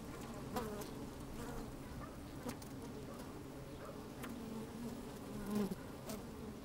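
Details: Honey bees moving about in an opened hive, recorded with the microphone slid down inside on a sunny, breezy day: a low droning hum broken by sharp ticks and taps, then a loud rising buzz just before the end.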